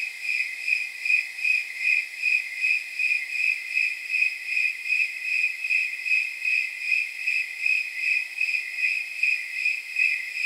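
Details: High jingling chirps of snowy tree crickets repeat in an even rhythm, roughly 150 a minute, on a warm night reckoned near 79 degrees; a continuous ringing pulse with a faint shimmer above and nothing else audible.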